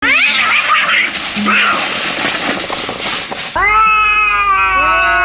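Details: Angry cats in total anger, yowling: noisy, broad wailing cries in the first three and a half seconds, then clear, harmonic, slowly falling caterwauls with rising-then-falling contours near the end.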